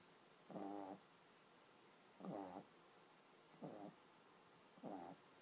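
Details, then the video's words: Sleeping baby pug gives four nasal, rattling snores, evenly spaced roughly a second and a half apart, against near silence. "Cute pug sleeping and snoring"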